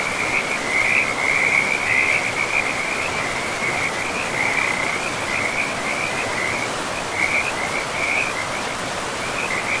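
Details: Frogs by a river deep in a pristine forest of trees and moss-covered land: a steady chorus of high, rattling trills, one overlapping the next almost without pause, over the constant broad hiss of flowing water.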